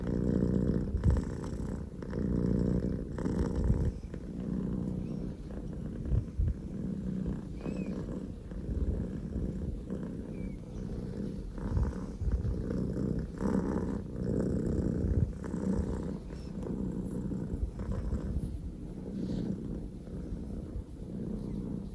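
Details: Loud purring from Poko J, a male Scottish Fold kitten born 15 October 2019, son of the calico Pekomi: a continuous low rumble pulsing in steady breaths, strongest near the bottom of the range, with faint rustling.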